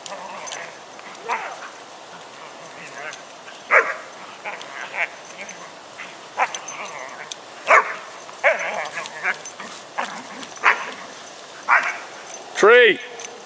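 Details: Five-month-old deerhound lurcher puppies playing outdoors: scattered short yips and play barks, irregular bursts, ending in a drawn-out rising and falling whine, with a person talking over them.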